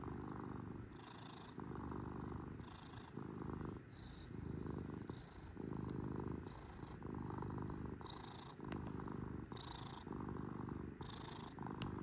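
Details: Close, loud purr from a kitten: deep vibrating hum pulsing in even breathing rhythm, around forty-two cycles a minute, with brief faint clicks and a soft high wheeze on the in-breaths.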